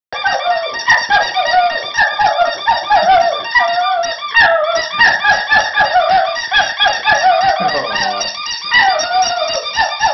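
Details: Border Terrier howling indoors in a continuous run of high, wavering, yelping cries, each sliding downward, repeated rapidly throughout with barely a pause.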